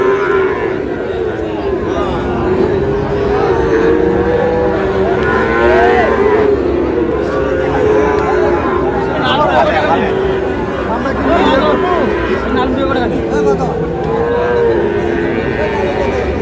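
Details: Sahiwal cattle at a cattle market in Pabna, Bangladesh, where bull calves are being bought: low drawn-out moos rising and falling, overlapping from several animals, under constant crowd chatter and bargaining voices.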